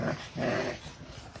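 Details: French Bulldog, ten months old, diagnosed with brachycephalic airway syndrome, breathing harshly indoors with loud rasping snorting breaths, two noisy gasps within about a second.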